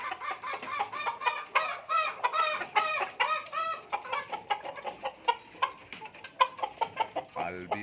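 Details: Bekisar at King Bird Farm in Pamekasan, a farm breeding junglefowl and albino bekisar. Loud harmonic, nasal calls repeat in quick bursts over the first four seconds, then shorter clipped notes follow. Other fowl call and cluck throughout.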